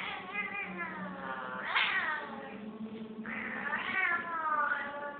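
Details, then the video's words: Angry female cat giving drawn-out, wavering growling yowls with strong harmonics, two rising swells about two seconds apart over a steady low rumble. "Angry cat"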